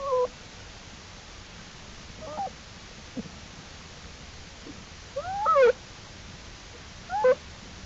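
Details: Black bear cubs exploring outside the den alongside mother Jewel, April 2, 2012; sparse sharp bent squeals, some with stacked harmonics, come in small bursts a few seconds apart amid quiet hiss.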